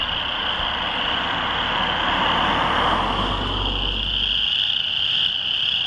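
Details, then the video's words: Loud chorus of many chorus frogs in a rain pond on Brewery hill, Lethbridge, near the Oldman River, June 22, 2013. A dense, steady wall of high trills, with a low vehicle rumble passing under it midway. "Loud Chorus Frogs"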